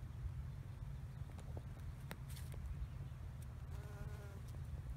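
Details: Honey bees foraging on wild rosemary blooming everywhere in a bee yard. A low, steady humming drone of many wings runs throughout. A brief tonal whine rises near the fourth second, and faint clicks and ticks are scattered across.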